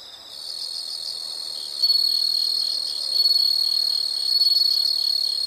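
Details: A chorus of insects: a shrill, high, steady trill that starts quieter, then jumps louder and keeps swelling in gentle waves, with faint pulsed chirping underneath.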